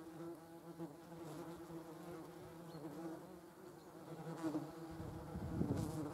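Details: Low, continuous droning buzz of a European hornet among German wasps, the hum wavering slightly in pitch with soft rustling pulses and a louder burst toward the end.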